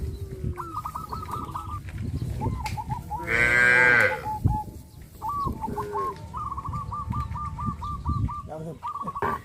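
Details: Cows led out to green grass fields; one strong, half-second moo stands out mid-way, surrounded by long runs of rapid, evenly repeated high peeping from birds.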